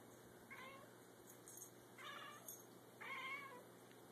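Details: Charlie and Grrdezi, two house cats, chatter at a feather toy: three clusters of clipped, high chirping notes, each under a second, with the loudest and most tonal burst coming last.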